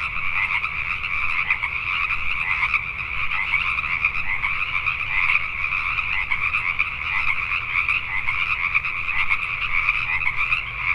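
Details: Pacific tree frogs calling at night in Richmond, British Columbia, Canada: a dense, unbroken chorus of many overlapping creaky two-part croaks with a steady pulsing texture and a faint low rumble underneath.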